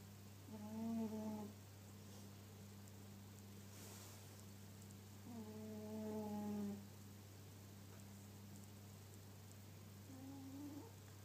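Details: A pet cat snoring at home: three whistled, nasal tones, each about a second long and slightly wavering, come roughly every four and a half seconds over a steady low electrical hum in a quiet room.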